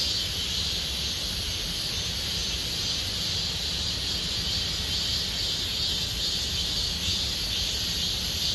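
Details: Cicadas singing in Gomsol Nuri Forest, Sihwa district, in deepening summer: a dense, unbroken high buzzing wall that holds steady throughout, with faint low rumble beneath.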